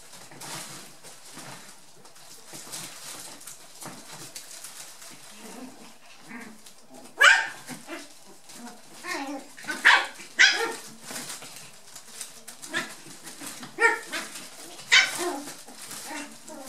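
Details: Nearly eight-week-old brown and black dwarf-toy poodle puppies playing in a tunnel: quiet rustling at first, then short sharp yips and squeaky barks in scattered bursts from about seven seconds on.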